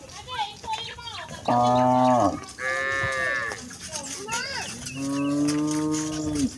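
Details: Village cattle, a herd of cows with calves walking home to the barn, lowing: several drawn-out harmonic moos of about a second, one higher and rising, the last long and steady, with faint background chatter between calls.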